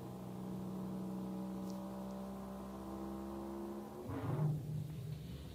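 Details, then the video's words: A blue whale's warning call, normally too low to hear, is sped up into hearing range as a steady, droning, harmonic moan. "let me play you the warning call of a blue whale."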